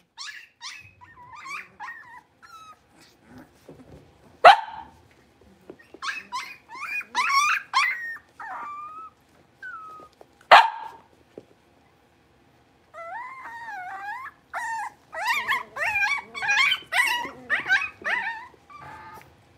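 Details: A litter of five Blenheim Cavalier King Charles Spaniel puppies, born at New Year, in an indoor puppy pen: high, wavering whines and short yips from several pups, with sharp louder yelps at about 4.5 and 10.5 seconds and a bout of rapid whining near the end.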